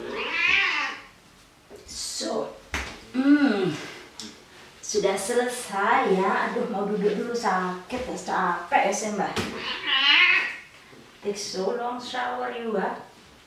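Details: Pet cat being washed indoors in a bathroom, protesting with drawn-out, wavering meows and yowls that rise and fall, several in a row, while a person talks over and between the calls.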